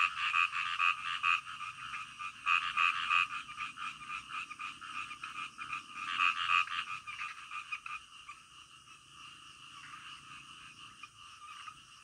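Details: Frogs calling in the middle of the night, a dense chorus of rapid, rattling croaks in short bursts, with a sharper burst near the start and another around six seconds, then a softer continuous trill fading toward the end.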